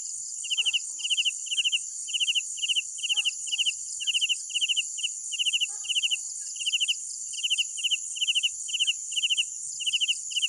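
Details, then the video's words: Night crickets: bright, high chirps of three or four rapid pulses each, repeated about twice a second with small pauses, over a constant shrill insect hiss and a few faint low ticks. "Sounds of Night Crickets"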